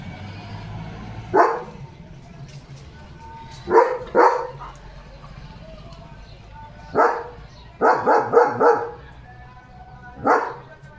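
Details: German Shepherd kept at home barking in the evening: scattered loud barks, first single, then a quick burst of four, then one more, over steady low background noise and a person talking.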